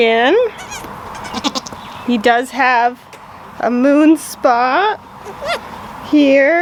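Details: Newborn goat kids just born to their mother, giving short, wavering, nasal bleats in separate bursts about a second long, some rising and falling in pitch, with human voices talking between the calls.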